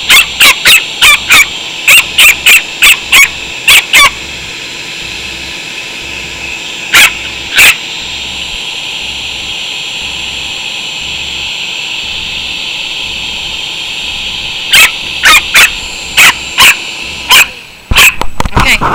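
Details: Chihuahua named Natcho barking at a shop vacuum it hates, sharp high yips in fast bursts, then pauses while the vacuum's steady hum drones on, barking resuming near the end as the motor stops.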